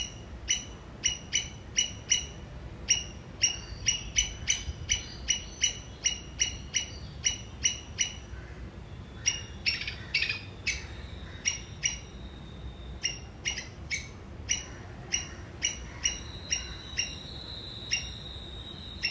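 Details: A Sri Lankan squirrel gives sharp, high chipping alarm notes, repeated two or three times a second, as a signal toward a common enemy.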